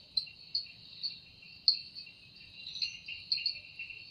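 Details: Cicada singing in a forest in the evening: a steady high buzzing band with a lower second band, overlaid by sharp pulsed accents about every half second.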